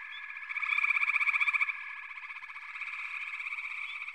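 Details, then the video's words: Chorusing frogs: one loud rapid pulsed trill rises over the dense background of overlapping calls, then fades back into the steady, buzzy drone with occasional short chirps. "FROGS - Pig Frogs, Water Frogs, Backwater Chorus, & Frog Chorus"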